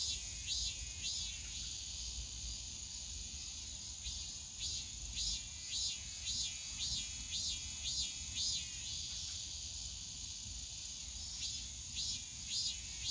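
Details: Summer cicadas singing in the Yongsan Family Park bamboo grove, a constant high whine punctuated by rhythmic bursts of pulsed notes, about two per second in runs with brief gaps, over soft low-frequency park background.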